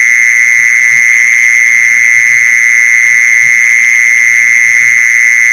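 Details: Mole cricket calling, a recording used as a lure for mole crickets; one continuous high-pitched buzzing trill, even in pitch and loudness from start to finish, over faint low knocking.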